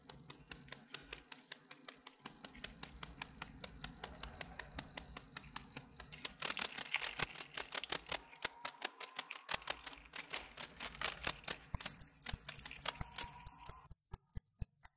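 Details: A male cricket bred at home chirps close up, rapid high pulses repeating steadily a few times per second, made by rubbing its hard outer wings together, not with its mouth.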